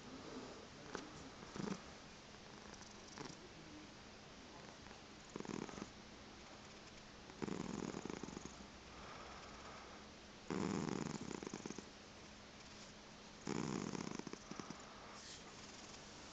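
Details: Morning indoors with a chocolate spot tabby x seal point Siamese cat making it hard to get out of bed: irregular purring, soft short rumbles early, then longer, louder pulsed bursts every three seconds or so.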